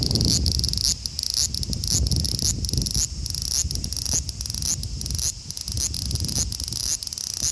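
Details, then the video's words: Male large brown cicada (Graptopsaltria nigrofuscata) in Osaka City, Japan, 5 August 2019, recorded on an Xperia XZ1 phone; a dense, sizzling high-pitched drone with brief regular dips, over low rumbling background noise. "油蝉 large brown cicada"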